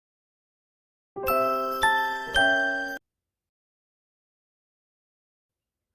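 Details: A short ringing chime melody of three struck notes plays, followed by silence, with no animal sound.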